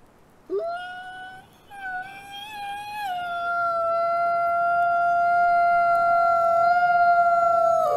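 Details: Nikai, a captive-born gray wolf and ambassador wolf at the Wolf Conservation Center in South Salem, New York, gives a long smooth howl, rising sharply then holding a steady, slightly wavering tone with rich harmonics, growing louder toward the end.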